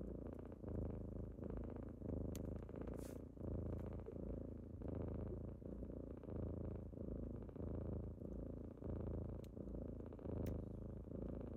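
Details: Deep, even purring from kittens at wake-up time in the morning, rising and falling in regular breath cycles roughly every 1.3 seconds, with a few tiny clicks and taps in the background.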